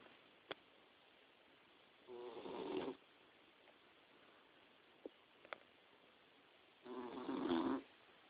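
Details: Boxer puppy about four to five months old, napping in bed indoors, snoring: two harsh rasping inhalations roughly five seconds apart, each under a second long, with faint clicks between.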